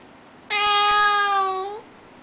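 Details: A single long, level meow, just over a second, from a Russian Blue pet cat, a so-called voiceless cat, which wants to go outside. It is strongly harmonic and rises slightly at the close.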